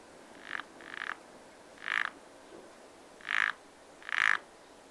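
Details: At a spring pond, a frog produces short grating croaks, some soft and doubled, then louder single bursts about a second apart, against a low steady background hiss.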